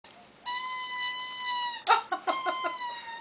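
A Chihuahua puppy gives a high, thin squeaky whine, held steady and then broken into short squeaks.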